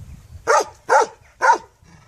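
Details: Dog giving three loud, evenly spaced barks about half a second apart, each short and punchy, over faint low background noise.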